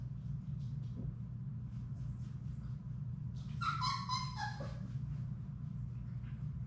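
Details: Labrador Retriever puppies, one of a litter of six, in their indoor play room. A harmonic whine slides downward for about a second over a steady low hum, with soft scratching and pattering of paws before it.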